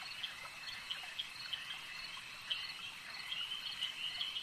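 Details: Frogs calling at a lake: a dense, unbroken high chorus of trilling voices, with sharper individual notes popping out every half second or so above the steady shimmer.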